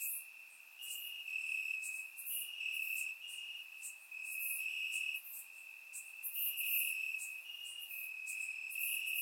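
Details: Crickets chirping in grass on a warm summer night in Bulgaria, recorded with a surround microphone: a steady high trill runs throughout, layered with louder bursts of higher chirps pulsing several times a second.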